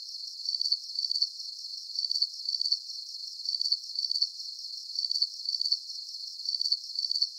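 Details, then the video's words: Calming cricket chirps for deep sleep, a bright high-pitched pulsed trill broken into short bursts roughly every half second, even and regular throughout, nothing else audible. "Calming Cricket Sounds"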